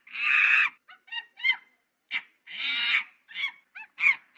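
A monkey gives harsh, raspy screeches broken up by short, bright yelping notes.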